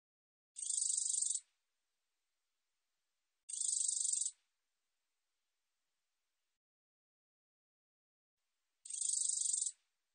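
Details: A black-bordered katydid, recorded in 2020, gives dry, hissing buzzes about a second long, separated by several seconds of silence.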